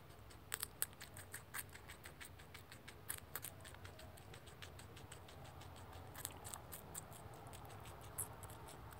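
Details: Crunching of celery by a baby rex guinea pig: bursts of quick, dry clicking bites, pausing briefly then resuming, with a low steady indoor background.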